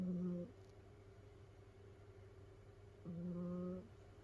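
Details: Sleeping domestic cat from a multi-cat household of rescued cats, piled together in a cat huddle. Two short, low, tonal snores about three seconds apart, each under a second, over a steady indoor hum.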